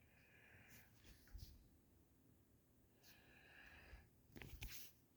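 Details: Doberman snoring in a small room, two drawn-out raspy, airy breaths about two seconds apart, with low rumbling snorts and some sniffing and rustling near the end.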